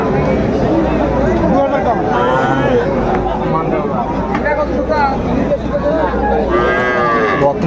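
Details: Heifer calves of Friesian and cross breeds at Raniganj haat, Dinajpur, 12 July 2024, low bellowing moos partly buried under busy market noise, talking and a low engine rumble, with a clearer moo near the end.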